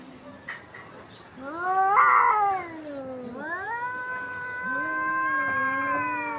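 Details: Two domestic cats fighting: long drawn-out caterwauling yowls with strong harmonics, one wavering howl rising then dipping around the middle, followed by a steady sustained moan to the end.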